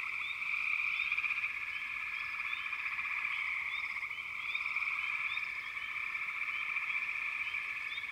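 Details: Dense frog chorus in backwater, continuous high buzzing trills layered together, punctuated by rapid, irregular short rising chirps, roughly four per second.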